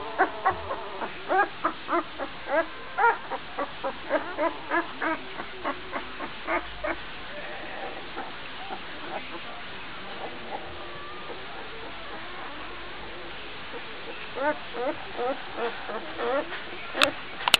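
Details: Twelve-day-old Gordon Setter puppy barking as it runs about while its littermates try to sleep; a series of short, high, yelping barks roughly every half second, pausing midway, then resuming in a quicker burst near the end.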